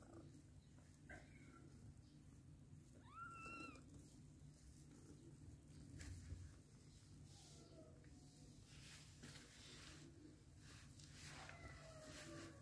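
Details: Mother cat living with adopted kittens; several thin meows come at irregular intervals, one longer rising-then-falling cry in the middle and fainter ones later, above a constant low hum and light rustling.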